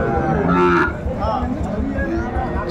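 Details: Sahiwal bull calves at Ambari cattle market in Dinajpur on 11 March 2024, the start of Ramadan; a low, harmonic moo rises briefly in the first second amid a steady, throbbing background rumble and market noise.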